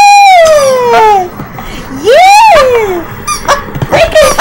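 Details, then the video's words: Fluffy, a family pet puppy, indoors, encouraged by its chocolate-coloured mother while playing with a squeaky toy: long drawn-out whining glides, first falling, then rising and falling, followed by shorter squeaks; voices heard briefly. "CUTE PUPPY DOG SQUEAKS TOY"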